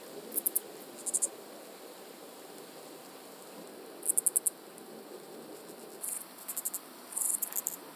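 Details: Common pincer grasshopper recorded on Pag, Croatia, on 2 September 2019 via ultrasound detector, giving short, high, stuttering bursts of three to six fast pulses, grouped more densely toward the end, over soft hiss.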